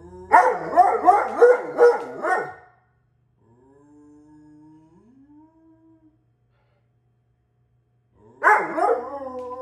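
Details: Alaskan Malamute talking in a dialogue: a burst of quick, wavering yodel-like yips and grumbles, a quiet stretch with faint soft rising tones, then another loud wavering outburst at the end.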